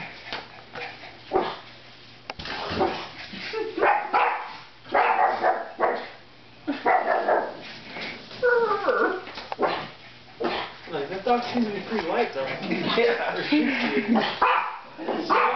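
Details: Pug living with a miniature pinscher, barking indoors as a roommate menaces them with a large stuffed animal; sharp barks come in irregular bursts across the clip, with a man talking over them near the middle.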